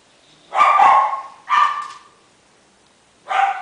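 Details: Miniature Schnauzer puppy, 28 days old, male, salt-and-pepper coat, bred in Shizuoka, Japan: two high, strained yelping barks close together, a pause, then a third cry starting.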